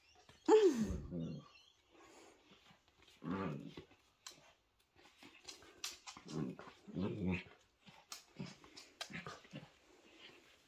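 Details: Poodle puppies with their mother, family time indoors: a sharp, loud whine that falls in pitch opens the sequence, followed by several softer grunting bursts, light rustling and a few quiet human voices in a small room.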